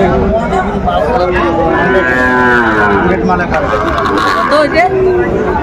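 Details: Sahiwal bull calf at a cattle market in Faridpur, Bangladesh, on 5 January 2025. One long harmonic moo, rising and falling through the middle, over a steady backdrop of crowd chatter and voices.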